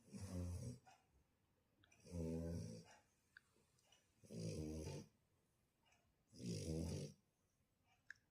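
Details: Snoring Shar Pei: four deep, gravelly snores in a steady rhythm about every two and a half seconds, each with a breathy hiss on top, with a quiet room between breaths.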